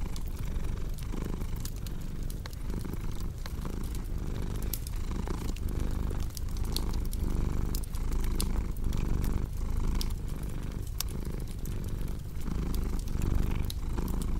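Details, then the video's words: Long, even purring from a cat, a deep vibrating rumble pulsing with each breath about once a second, set against a steady scatter of fireplace crackles and pops. "Purring Cat with Cozy Crackling Fireplace Sound"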